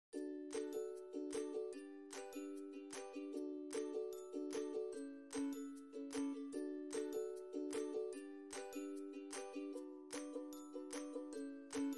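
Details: Bright plucked ukulele-style children's music plays in a steady rhythm, with no animal voice.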